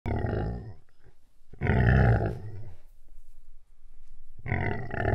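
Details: A buffalo described as fearsome, starting to grunt: deep, rough, low grunting bursts, a long one at the start, a louder one near two seconds and another at the end, with quieter rumbling between.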